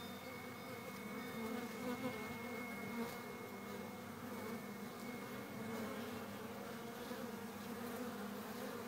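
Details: Buzzing of a busy honey bee hive, April 11, 2013: continuous layered hum from countless wings, steady in loudness, a faint thin tone running high above through the first half.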